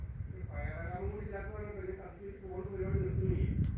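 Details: Cat named Cassey angered by a neighbour's cat entering her territory, giving a drawn-out, wavering harmonic yowl that rises and falls for about three seconds over low rumbling background noise, with Malayalam speech nearby.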